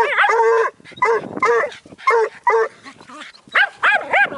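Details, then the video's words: Young Bluetick Coonhound and a Jack Russell terrier barking at a raccoon; clear tonal barks repeat roughly once a second in uneven bursts, a few shorter yips mixed in, and a man's encouraging voice in the background. "Bluetick pup and jack russel bark at coon"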